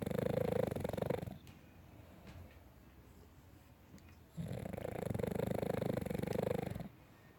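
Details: Pet dog asleep and snoring, two long raspy, throaty breaths of two to three seconds each, separated by a quiet gap.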